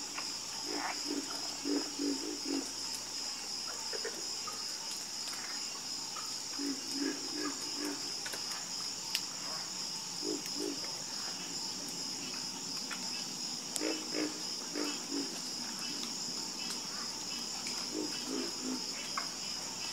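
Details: Frog chorus with rapid runs of low, throaty croaks, several in quick succession, then pauses before the next group answers. A steady high insect drone persists underneath the whole stretch.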